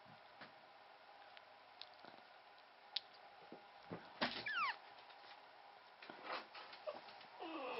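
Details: Newborn Pomeranian puppy, within its first 14 days, the only one of a litter of three to survive birth, from a Pomeranian father and part-Pomeranian mix mother: high, thin, falling squealing whimpers in a short burst midway and again at the end, over soft clicks and rustling.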